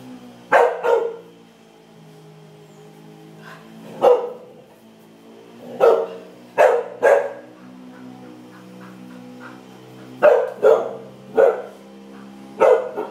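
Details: One-year-old Norwegian Elkhound in a backyard reacting to a lizard, giving loud, sharp barks, often in quick pairs, about eight over thirteen seconds, with quiet pauses between bursts and a steady low hum underneath.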